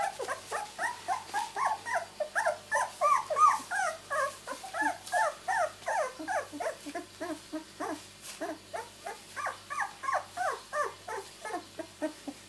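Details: Newborn miniature Labradoodle litter at two weeks old, born 31 July 2009, keep up a constant chorus of short high squeaks and mewing whimpers, roughly three per second, overlapping pups over a faint low pulsing hum.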